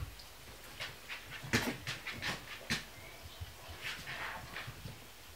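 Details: Litter of Kuvasz puppies at sixteen days old: a run of short squeaky whimpers and snuffling pants, loudest near one and a half and two and a half seconds, over low room background.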